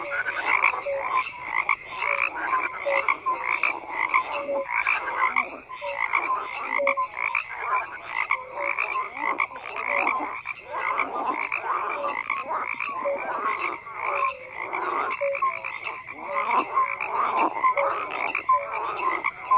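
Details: A steady chorus of numerous frogs, croaking in rapid pulsed bursts layered with short piping notes, the texture dense and unbroken across the whole stretch.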